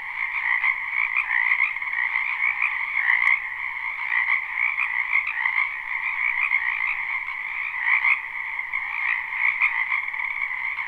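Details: Springtime wetland frogs, recorded live with no looping, croak in a dense continuous chorus; overlapping rattling trills blend into a steady drone that waxes and wanes slightly over about eleven seconds.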